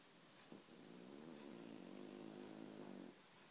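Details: Guli, a pet cat in a very deep sleep, snores in one long raspy inhaled breath lasting about two and a half seconds, with a low buzzing tone and stacked harmonics, in a quiet room.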